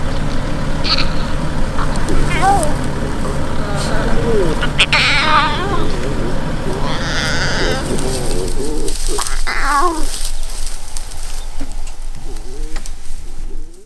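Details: Hungry lion cubs in Maasai Mara, Kenya, whine with wavering, mew-like cries calling for food over a low background rumble, near their lioness mother beside a vehicle.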